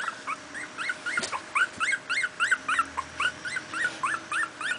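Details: Two-week-old miniature pinscher puppies from a litter born 28 July 2008, playing: high-pitched arched squeaks and whimpers, about three or four a second, several pups overlapping, with a soft thump partway through.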